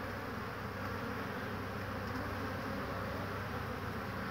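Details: Spring colony of honey bees, 22 March 2019, flying very intensively on a warm day while willows offer nectar; continuous low droning hum of many wings, even and unbroken across the short stretch.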